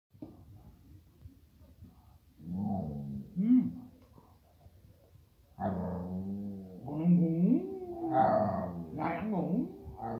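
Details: Rescued, adopted female dog making talking-like vocalizations while asking for food; two drawn-out, wavering, moaning bursts with rising and falling pitch, the second longer and more varied, low and mid-pitched, after a quiet start.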